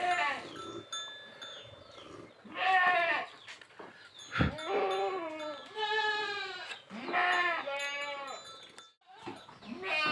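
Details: Goats during crossbreeding of a big Boer stud buck with a Jamunapari doe; several loud, quavering harmonic bleats in bursts separated by short pauses, with a sharp knock and light background music.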